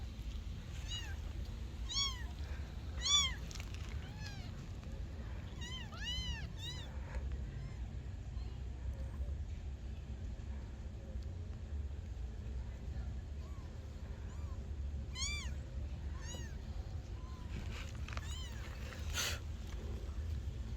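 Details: Kittens meowing in short, high, arched calls, clustered in the first seven seconds and again around fifteen to eighteen seconds, fainter meows between, over a constant low rumble.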